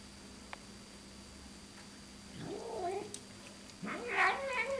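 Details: Domestic cat producing an odd vocalization: two rising, warbling yowls about a second apart, the second louder and higher, over a faint background hum.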